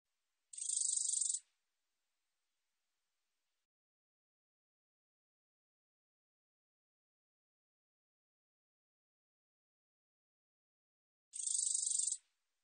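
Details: A katydid (Korean name 검은테베짱이), recorded in 2020, gives two short, dry, buzzy bursts of high-pitched song separated by a long silence.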